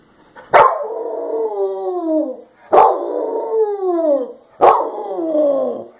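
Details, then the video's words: Clingy 'velcro' dog crying: three long, drawn-out wails, each starting with a sharp yelp and sliding downward in pitch over about two seconds, with short silences between and no other sounds. "Velcro dog cries"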